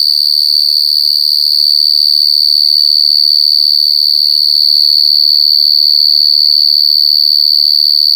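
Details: Gangsir, a large cricket, calling in the wild, captured up close: one continuous piercing whine held at a constant high pitch, ringing overtones above it, volume barely wavering from start to finish.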